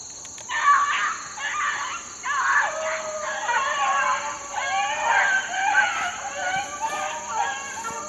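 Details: Several 4-month-old Beagle pups in the wild are being worked on a rabbit. Their chorus of bays overlaps almost continuously, with rising and falling yelps layered together. A constant high-pitched hiss sits behind them.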